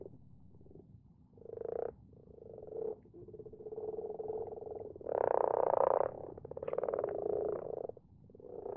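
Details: Common frogs in a garden pond at night, their numbers increasing yearly; a steady soft purring drone builds into louder overlapping croak bursts around the middle, then eases into scattered shorter croaks.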